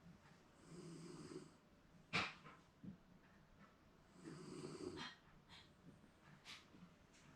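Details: A napping Shiba Inu, seemingly dreaming, snores at home: two drawn-out, low, rasping snores about three seconds apart, with a sharp click between them and small rustles afterward.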